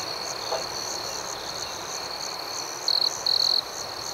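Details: Night-time crickets: a steady high chirping background, then near the end two quick, loud pulsed trills in close succession from one close cricket.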